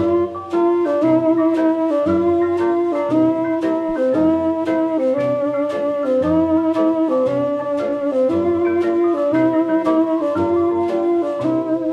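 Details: Mellow jazz with a lilting flute melody over soft guitar chords plays without pause, and no buzzing or other animal sound comes through.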